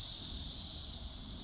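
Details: A brief burst of shrill, continuous cicada buzzing that drops slightly in strength partway through, the sound staying high and unvarying.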